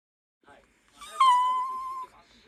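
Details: Haru, a Toy Poodle worried because the father is home late, 'talks' indoors to its owner: one rising, then long level, harmonic whine of under a second, with soft murmurs around it.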